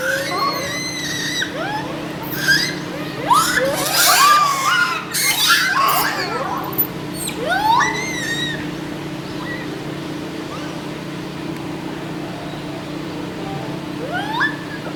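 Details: Japanese macaques at Joyama Zoo in Nagano, Japan, during feeding on apples, carrots, sweet potatoes, bread crusts and cabbage. Scattered rising squealing calls overlap in a dense cluster around the middle, over a steady low hum.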